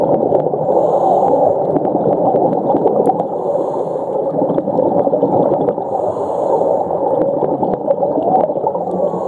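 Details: Off Ningaloo Reef, Western Australia, underwater whale calls form a dense rumbling and moaning chorus with faint high tonal notes drifting above; humpback whales migrate here in winter; whale.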